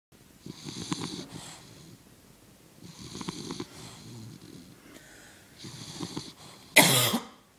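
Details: English Bulldog asleep on its back with all four paws in the air, snoring in raspy, rattling breaths that come roughly every two and a half seconds, ending with one loud, harsh snort.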